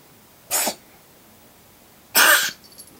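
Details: Roi, a cat carrying the cat flu virus, sneezing over and over while ill, filmed to show the vet. Two sharp, breathy, explosive sneezes burst out about one and a half seconds apart in an otherwise quiet room.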